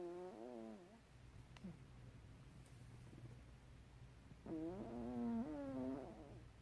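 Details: Chichita, a white Chihuahua, gently snoring while asleep: two wavering, whistly nasal tones, a short one near the start and a longer, warbling one about four seconds later, with soft breathing in between.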